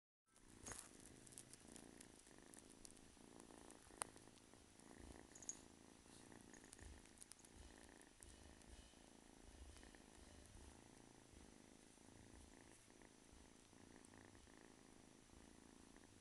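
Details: Domestic kitten about eight to nine weeks old, a male, purring steadily indoors; a continuous low rumbling texture with faint rhythmic pulsing runs throughout, with occasional small clicks and rustles.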